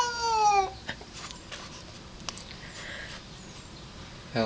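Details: Ellie, a house cat who hates a cat outside, gives a short, strained yowl that falls in pitch and lasts under a second; then a quiet room with light tapping and a voice starting at the end.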